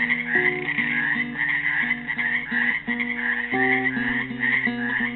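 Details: A bright, throbbing chorus of croaks from frogs trapped in a pool in Helix, Oregon, on Earth Day 2016, accompanied by a made-up classical guitar tune of repeated picked notes.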